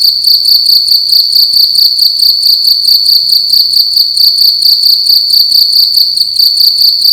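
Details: Cricket making loud noise in a room at night: shrill high-pitched pulsed trilling, rapid chirps repeating evenly around twice a second, the only sound present.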